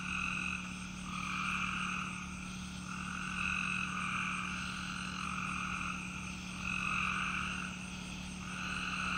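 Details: Outdoor chorus of peepers alongside crickets: many frogs calling at once in rapid, overlapping trills that rise and fall in waves every couple of seconds, over faint high cricket tones and a steady low hum.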